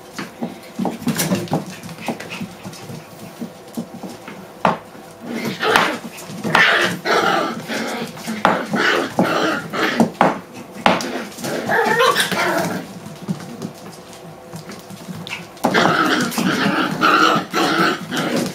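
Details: Six-week-old puppies playing indoors, giving short rough growls and high yapping barks in irregular bursts, with pauses between; tapping and light clatter in the background.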